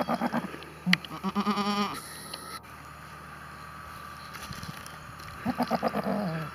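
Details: A goat bleating in a series of short wavering cries near the start, then a quiet stretch with background hum, followed by another run of quick pulsed bleats at the end.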